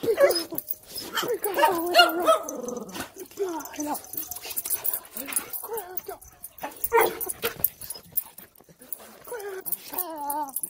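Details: Siberian Husky greeting its owner on reunion after a week home alone, crying mixed with clattering noise and talking; a clear wobbling whine returns near the end.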